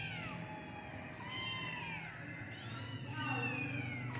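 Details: Kittens give overlapping drawn-out mews, some sliding downward, quieter and partly masked by a continuous low hum and murmuring background.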